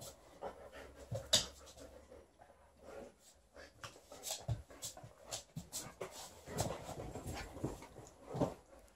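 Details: Liza, a female Alaskan Malamute in her shedding period, plays with her old fish toy indoors; steady breathy panting with soft whimpers and scuffling sounds of play.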